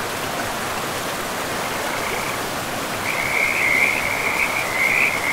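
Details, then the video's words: Frogs by a river in a pristine forest, starting after a few seconds of plain rushing water: a rapid, high, pulsing trill that runs in long bursts over the steady roar of the flowing stream. "River and Frogs sleep sounds"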